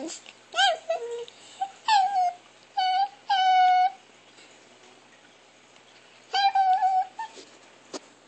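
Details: Chihuahua Alexa making odd whimpering noises, short steady high whines in bursts, a couple of sustained whining notes, and a final cluster of quick squeaky cries.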